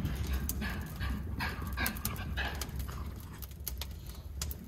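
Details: Two Miniature Schnauzer brothers, stir-crazy while stuck inside during a December snowstorm, give short, sharp barks and yips amid scuffling and thumping during rough play.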